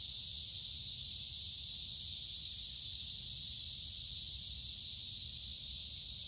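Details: High, steady electric-sounding drone of a cicada on a summer day, constant in loudness and pitch throughout, with faint low background noise.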